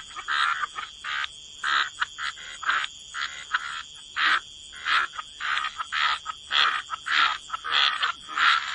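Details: Frogs croaking in a waterside chorus. Short, harsh croaks overlap and repeat roughly every half second, some louder and nearer than others, over a steady high-pitched hiss in the background.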